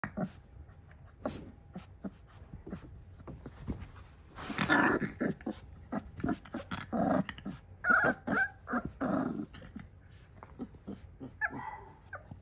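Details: XL American Bully female puppy play-fighting indoors with her mother; low rough growls and snorts in bursts, loudest in the middle, with short gaps and scuffling between.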